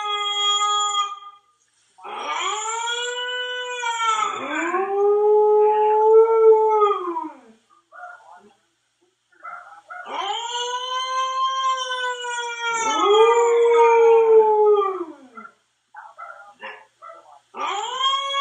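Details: A Siberian Husky howling to himself gives long, rich howls that waver and bend in pitch, with brief pauses between.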